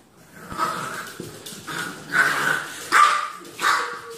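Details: Puppy giving a run of high, slightly hoarse yapping barks, about five in four seconds, rising out of a steady background hiss.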